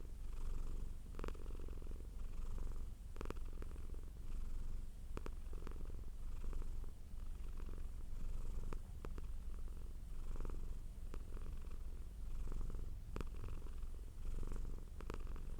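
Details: Domestic cat producing a steady deep purr, the rumble swelling and easing in long breath cycles, with faint brief clicks here and there.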